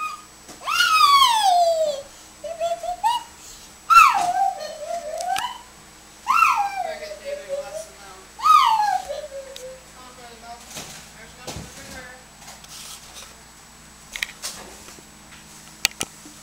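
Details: A Dobermann puppy named Jackson, at play, gives about four drawn-out, high whines that slide downward, each a second or two long, during the first ten seconds, followed by a quieter stretch with faint short sounds.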